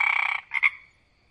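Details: A frog croaks: a raspy, buzzy burst of under half a second, followed by two quick clipped pulses, then quiet.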